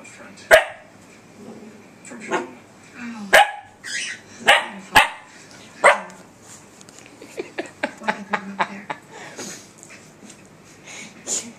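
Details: Indoor puppy barking at her reflection on a laptop screen: a run of sharp high barks, then a quick series of short yips, with soft whines and faint human voices in the room.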